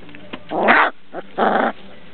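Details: Transylvanian Hound puppies from a kennel giving two broad, harsh yelping cries in quick succession, each lasting about a quarter second, separated by a short gap with softer faint sounds.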